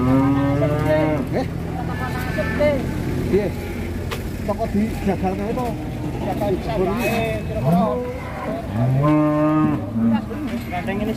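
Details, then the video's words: Raging female cow lowing: a long, loud, strained moo opens, broken calls and background chatter follow, and another forceful bellow rises near the end. "SAPI BETINA NGAMUK SEPERTI BANTENG MATADOR"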